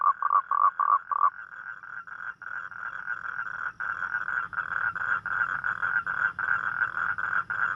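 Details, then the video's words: Toad calling at night: a few short, separate bursts of rapid croaking pulses, then a dense, unbroken trilling chorus of overlapping callers. A faint high, thin tone runs above. "เสียงร้องคางคกตอนกลางคืน | The Sound Of Toad At Night"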